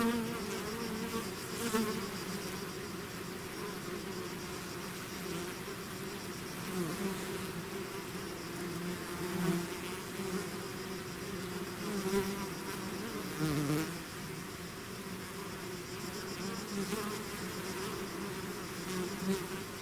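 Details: A swarm of bees out of its hive keeps up an unbroken droning buzz for twenty seconds, several nearby bees sweeping past with brief louder whines over the layered hum.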